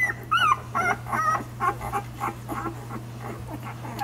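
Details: Savannah's one-week-old pups, nursing, let out a run of short wavering high whimpers, about two each second at first, fading into softer grunting suckling sounds over a steady low hum.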